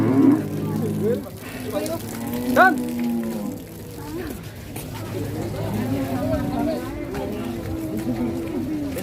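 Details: Huge cow, described as a monster and rampaging, arriving at an Indonesian farm and coming down off a truck. Several drawn-out, low, harmonic moos, the longest near the end, with people talking and background music.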